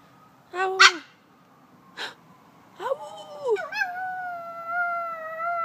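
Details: A female toy poodle howls along with a passing fire truck siren, giving short yips and then a long, wavering, high-pitched howl.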